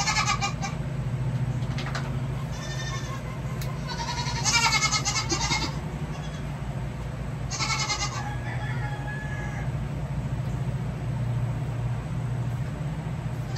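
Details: Young goats during hoof trimming on a farm; several short quavering bleats in separate bursts, some louder, over a constant low machine-like hum.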